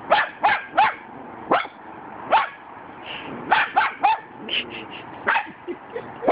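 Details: Cockapoo dogs barking at a cement dog statue, a rapid trio of high yaps, then scattered single barks and paired yips, some whiny, over a quiet background.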